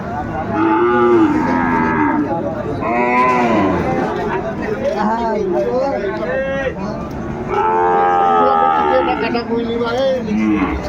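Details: Sahiwal bull calves at the Ambari cattle market near Dhaka, Bangladesh, in February 2025: repeated loud, drawn-out moos with rising then falling pitch, four or five calls over eleven seconds, with background market talk.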